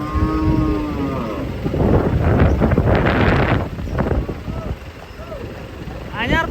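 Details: Cattle unloading from a long truck: a low, steady moo with layered overtones fills the first second, then a rough rumble of engine noise, voices and clapping takes over.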